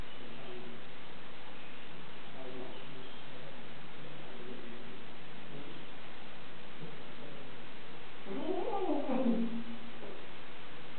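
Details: Cat named Bujil, a female pet just arrived at a new home and seemingly unhappy, gives a low drawn-out "woo" that rises and then falls near eight seconds, after faint murmurs, over steady indoor hum.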